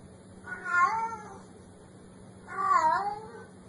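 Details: Kitten with cute meow, two soft, bent mews about two seconds apart over a low steady electrical hum.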